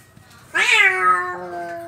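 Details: Angry domestic cat giving a single loud, drawn-out meow that starts harsh and rising, then settles into a long, steady, slightly falling wail, in a quiet setting.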